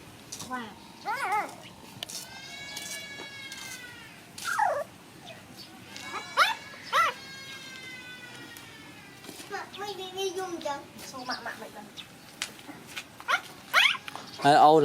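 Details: Puppies playing together let out drawn-out high whining cries that arch up and down, interspersed with sharp clicks and scuffling; a person's voice can be heard near the end.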